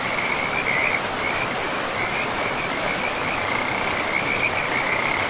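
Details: By a river in a pristine, moss-covered forest, a frog keeps up a thin, high, steady trill with faint pulsing, partly masked by the loud, constant hiss and rush of the river's flowing water throughout.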